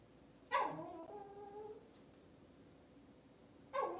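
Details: Cavalier King Charles Spaniel puppies on an indoor kitchen camera on a cloudy Monday morning; a high, drawn-out whining yelp lasting about a second, then a shorter whine near the end, over a steady room hum.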